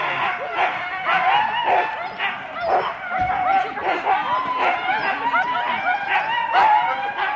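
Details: Husky sled teams of four dogs at the start at Rendlesham in January 2016: a dense steady chorus of high wavering yelps and whines from many dogs, with softer barks and some voices in the background.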